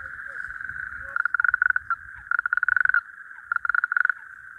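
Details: Natterjack toads calling at night at an ephemeral breeding pool: a steady distant chorus drone, then a nearby male's rapid rattling trills in short bursts under a second long, repeated three times, over low background rumble.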